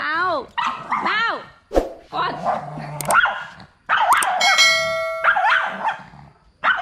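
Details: Pug angry at a new friend and refusing to cooperate: sharp, rising-falling yelping barks in quick bursts, with a person speaking Vietnamese over them and a short gap near the middle.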